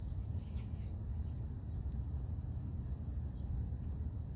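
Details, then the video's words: Cicadas in a quiet morning setting, their hum a sustained, even high-pitched drone without pauses, laid over a dull, continuous low rumble. "Relax With Cicadas Nature | Calming Insect Sounds"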